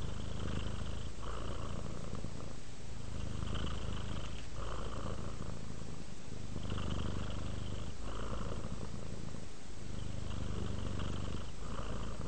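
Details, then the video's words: A pet cat relaxing and purring, deep continuous vibration pulsing with its breathing in cycles of about one to two seconds, soft breathy overtones on each exhale, calm indoor quiet. "Cat ASMR, Sleep while Purring Cat Relaxes"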